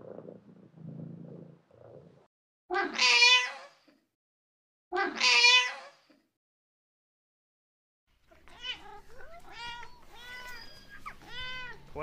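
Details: Cat with a soft low purr at first, then two loud, long wavering meows a couple of seconds apart, followed by a rapid run of thinner, higher mews.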